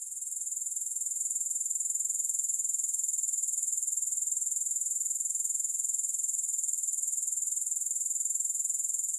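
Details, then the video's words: Soothing grasshopper sound, no music added: a continuous high, fine-grained pulsing trill that grows slightly louder over the first second and then stays level and regular to the end. "Grass Hopper Sounds"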